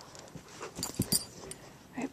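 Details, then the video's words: Young female German Shepherd puppy playing indoors, giving a quick run of soft, high whimpering squeaks and little yips over about two seconds, with faint room noise and no talking over it. "German shepherd puppy playing"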